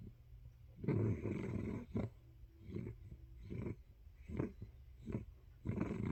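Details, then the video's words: Pet dog snoring in its sleep, a series of deep, growly rumbles of uneven length, some drawn out for almost a second, broken by short breaths at irregular intervals. "snores of Budgie dog"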